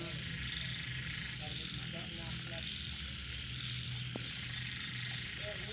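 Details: A night chorus of frogs, small frogs and banded bullfrogs after rainfall. Deep pulsing croaks run continuously under scattered short mid-pitched chirps, with one sharp click and a constant high insect buzz behind them.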